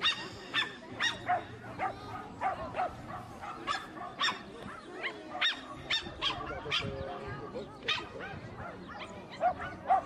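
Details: American Cocker Spaniel named Jade des Perles d'Onyx, bred in Switzerland, at the 2015 Romandy agility championships in St-Légier: sharp, bright barks come in quick bursts roughly every half second, with crowd voices murmuring underneath.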